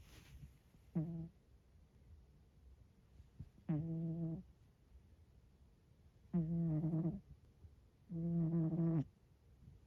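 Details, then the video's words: Sleeping Scottish Fold cat sprawled across the middle of a bed, snoring steadily: four low, rough, buzzing breaths, each under a second, spaced about every two and a half seconds, with quiet pauses between them. "猫のいびき！！！ 【スコティッシュフォールド】"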